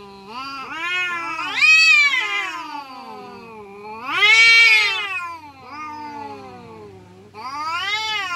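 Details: Village cats quarrelling with loud, undulating yowls: a rising screech, a dip into low moaning, a second louder screech, then another wail starting, all with rich harmonics.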